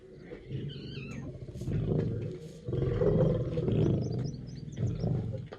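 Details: A caged lion's low throaty roar builds in rough pulsing waves, strongest in the middle, while small birds chirp and whistle in the background.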